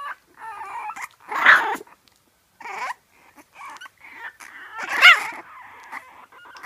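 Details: French Bulldog puppies whimpering and squealing in short bursts, two louder high squeals standing out among softer whines and gaps of quiet.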